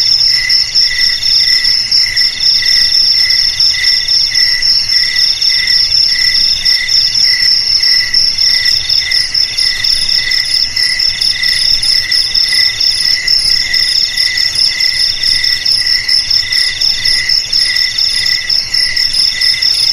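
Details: A long stretch of cricket chorus: high, piercing trills overlap in a seamless drone, and a lower voice chirps in quick repeated pulses throughout, steady and unbroken for the whole twenty seconds.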